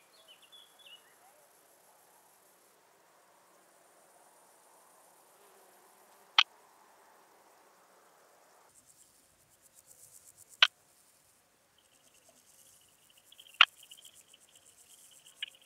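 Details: Striped bush-cricket recorded through an ultrasound detector in Hansag, Austria, on 21 July 2021: three sharp, isolated ticks spaced several seconds apart, with faint buzzing and a soft background hiss between them.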